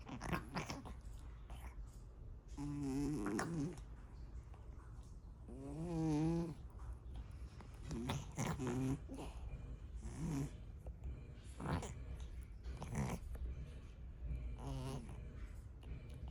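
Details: A male cat grooming indoors produces an unusual wavering, snore-like drawn-out noise in several bursts a few seconds apart, each rising and falling with a nasal, buzzing quality, between licking sounds and a faint purr.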